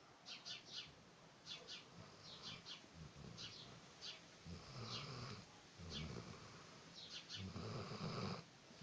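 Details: Sleeping Alabai, a Central Asian Shepherd Dog, snoring loudly: quick snuffling breaths, often in close pairs, with rasping bursts that grow longer and louder toward the end.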